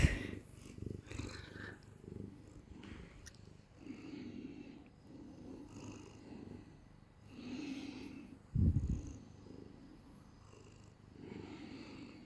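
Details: Clingy domestic cat being held, purring in a steady low rumble that swells and fades in slow pulses, with brief handling rustles and a few soft human voice sounds over it.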